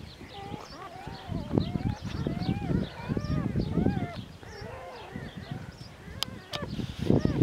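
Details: Border Collie puppies, two days old, from a litter of seven born to Glycine on 14 February 2019 at a French farm, squeak in thin, wavering, arched whines over a woman's soft continuous talking and handling noise.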